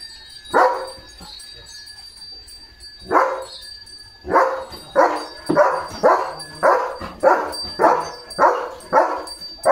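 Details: German Shepherd named Leo out on a village farm one morning: a couple of isolated barks, a short pause, then a brisk run of about ten loud barks in an even rhythm over a thin constant high whine.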